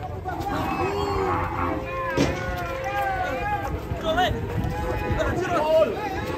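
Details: Rampaging cow charging toward an elderly sickle seller, lowing with a drawn-out, harmonic moo while voices talk over it outdoors.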